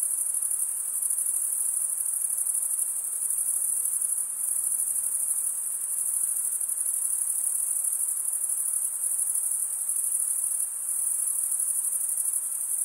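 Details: ["Crickets, males chirping by rubbing one wing's toothed vein against the other, form a dense, unbroken high-pitched shimmering trill that holds steady throughout, with faint small dips in loudness and no other sounds."]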